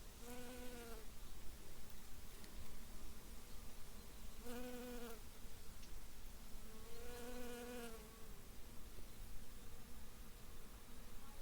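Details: Honey bees foraging on blooming heather in a small meadow by the forest in Polissia; three separate low buzzing passes, each about a second long, spaced a few seconds apart over a quiet background.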